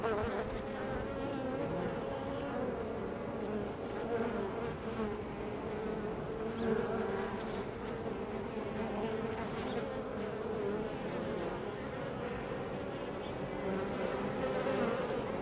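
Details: Honey bees crowding a hive entrance produce a constant, even buzzing drone, thick low humming with occasional louder wingbeats of single bees flying close by.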